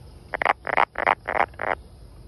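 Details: A brown frog calls at close range with a rapid run of five loud, grating croaks. Each one is a rough, pulsed burst lasting about a fifth of a second, packed closely together within two seconds.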